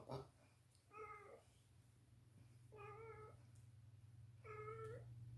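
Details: Drowsy domestic cat carried around indoors, making baby-like sounds: three short, even meows spaced about every one and a half to two seconds, over a steady low hum.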